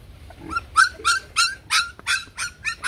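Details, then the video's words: Bac Ha dog, shaggy Vietnamese breed at a kennel: eight or nine ringing, high-pitched barks repeated steadily about three per second, each with a clear tonal core. "Chó Bắc Hà xù VN"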